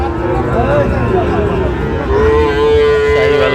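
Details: Sahiwal bull calves at a cattle market in Chattogram, Bangladesh, on 29 January; a long, steady, mid-pitched moo holds level for over a second near the end, amid crowd chatter, market noise and brief music.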